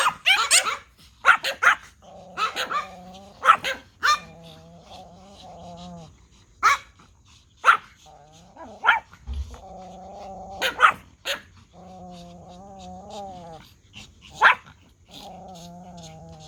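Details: Pomeranian toy dogs answer a whistle. Scattered sharp yaps alternate with long, wavering, whining howls that rise and fall, repeated several times over the stretch.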